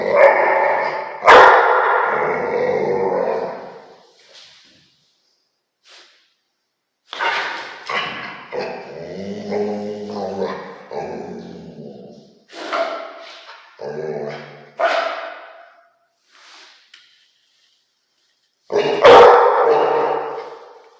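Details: Rottweiler barking in an irregular series: a loud rough bark, then a run of shorter, deeper woofs and growly grunts spread out with pauses, and one more loud harsh bark near the end.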